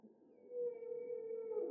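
A humpback whale sings one long, steady moaning note that sags slightly in pitch.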